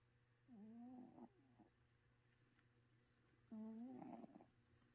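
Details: Sleeping domestic cat snoring indoors: two nasal, slightly wavering tonal snores about three seconds apart, the second louder and ending in a raspy flutter, over a faint low background hum.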